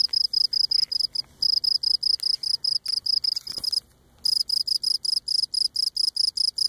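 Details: Singing Cape Cod cricket recorded up close as it rubs legs against its abdomen: rapid repeated high chirps, a half-second break midway, then the same steady chirping resumes.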